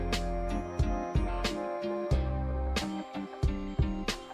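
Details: Soft background music with plucked and sustained tones; no animal voice can be heard.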